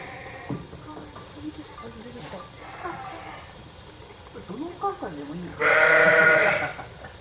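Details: Lambs less than a month old at Rokkosan Ranch in Kobe, Hyogo, Japan, on the first day they were shown to the public. Soft speech and scattered noises come first, then one loud, strained, harmonic bleat lasting about a second near the end.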